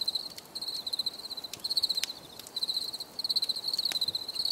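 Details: Several bursts of high, rapid pulsed cricket chirping, each lasting under a second and separated by short gaps, over a quiet background with a few faint clicks.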